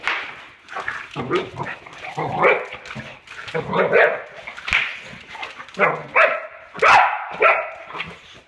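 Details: Boxer dog confronting bubble wrap, its nemesis: a run of grumbling woofs, then high, strained whines and yelping barks near the end, mixed with a person's voice.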